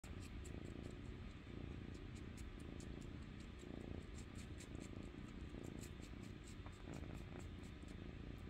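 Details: Foster kitten crawled onto a person and sucking his own toe beans like a thumb; soft, steady low rumbling purr continues throughout, with faint rapid ticking sounds above it and a quiet indoor background.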